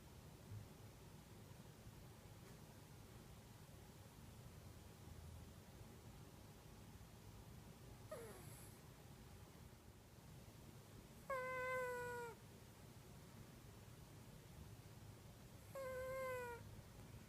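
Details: Sleeping deeply, the female cat Kitu snores in high whistled tones filmed on an iPhone: a silent stretch, then three nasal whistles at roughly four-second intervals, the last two slightly falling in pitch, over soft indoor background hiss.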